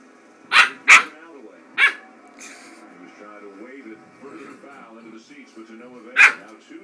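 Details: Eight-week-old Norwegian Elkhound puppy indoors, unsure of a big iron cricket fireplace ornament, gives four sharp, high yapping barks, three close together then one after a pause, over faint steady tonal background sound.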